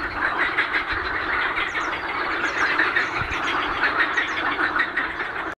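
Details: Frogs or toads calling in a dense continuous chorus at Lake Ohrid, Macedonia, a steady mass of overlapping rapid croaks and trills with no single caller standing out.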